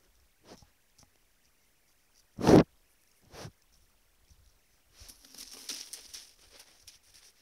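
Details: A roe deer (Capreolus capreolus) at night in a Trans-Ural forest, caught on a hidden camera, gives one loud, harsh bark, then a softer second bark a second later, followed by rustling in the undergrowth.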